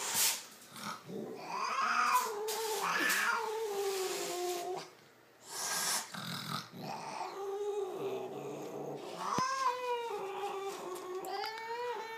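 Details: Long, wavering yowls from Lucifer the cat rise and fall in pitch, each tonal moan stretching a second or more, broken by brief pauses and a few sharp knocks in an indoor room.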